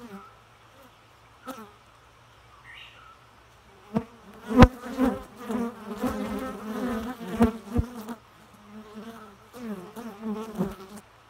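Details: Faint bee hum at first, then a steadier, louder droning buzz with wobbling pitch that fades and returns in shorter bursts, punctuated by a few knocks.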